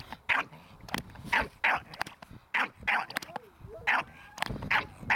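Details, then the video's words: ["Staffordshire Bull Terrier puppy barking during protection training with a handler, short sharp barks repeated roughly every half second to second, with a man's voice in between."] "Staffordshire bullterrier - puppy protection training"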